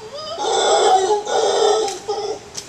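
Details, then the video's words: Howler monkey calling back during a back-and-forth with a person: a loud, hoarse, roaring howl in two swelling pulses, gravelly and wavering, followed by a shorter rasping tail. "Talking with a howler monkey"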